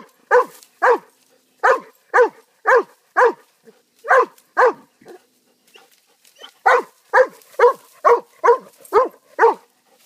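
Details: A pet dog barking in quick, hoarse, strongly harmonic barks, about two per second, in a run of six, a short pause with faint scuffs, then a steady run of nine more barks.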